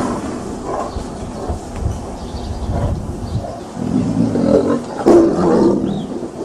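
A tiger growls in low, rough rumbles that swell toward the end, over a steady rush of wind.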